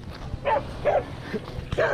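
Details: Loose off-leash dogs approaching a male Siberian Husky during a walk around Lake Nacimiento; three short, mid-pitched barks come in quick succession, roughly half a second apart, with faint background noise.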